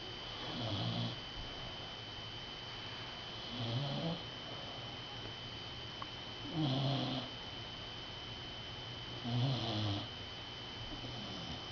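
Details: A rescued dog snoring while asleep after a hard day of play, low rumbling snores that come in slow breaths about every three seconds, each a short buzzy drone, with a steady electrical hum in the background.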